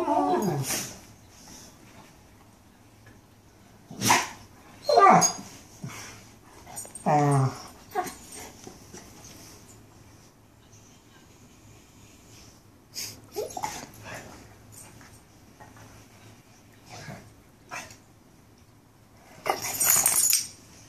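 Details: Mastiffs talking: scattered short vocal bursts, some rising whines and broadband yelps, separated by quiet gaps, with a final noisy burst near the end.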